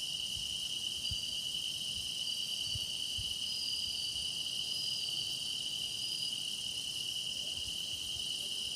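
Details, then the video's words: Grass insects singing in a meditation recording of deepening insect song: a dense, steady high-pitched trill chorus with a strong continuous band and fainter overlapping shimmering buzzes above, no other clear sounds. "깊어가는 풀벌레 노랫소리"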